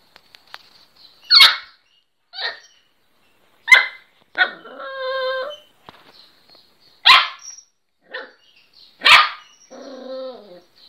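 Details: A young Miniature Pinscher barking for the first time gives sharp, high yapping barks separated by short, whining whimpers.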